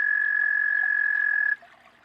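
A frog calls with an even, ringing trill, a fast run of pulses held on one high pitch. It stops abruptly after about a second and a half, leaving faint background hiss.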